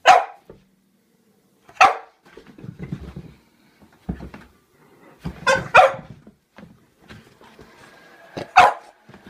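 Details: French Bulldog Pluto, spooked by a toy clown, lets out sharp barks every couple of seconds, one pair close together, mixed with lower grumbling huffs and rustling between them indoors.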